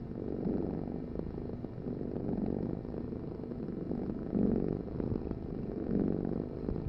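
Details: Cat purring close up: a low, grainy rumble that swells and eases with each breath, the louder phases rising every couple of seconds against a steady background hum.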